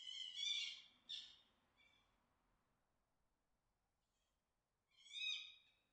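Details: A fox gives harsh, rasping mating-call screams, two close together and then another after a pause.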